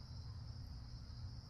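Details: At sunset in Connecticut, crickets chirp together in a steady, high, unbroken trill over a low background rumble.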